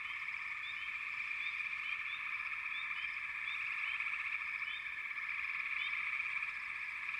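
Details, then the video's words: Many frogs calling together in a constant, buzzing chorus, dotted with brief high chirps from individual callers; no pauses across the stretch. "Frogs - Nature Sounds"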